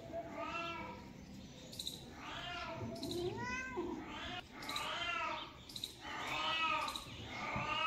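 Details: Kittens in a cat family mewing constantly: high, thin, rising-and-falling meows overlap one another, roughly one every second, with a few lower, longer cries mixed in.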